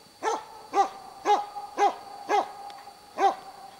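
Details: Moose-hunting dog in full bay at a cow moose with two calves, Båthussjön, Huskölen, 2008: steady series of seven loud, hoarse barks at about two per second.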